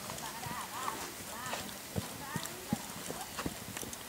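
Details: Brown purebred Lusitano stallion at a stud farm: irregular hollow hoof thuds, roughly two or three a second, under a man's talking voice and shouts of encouragement, with steady background hiss.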